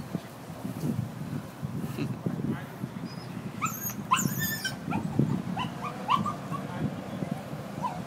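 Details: Upset dog tied up and left alone outside gives scattered thin whimpers and short high whines amid low background noise and faint voices.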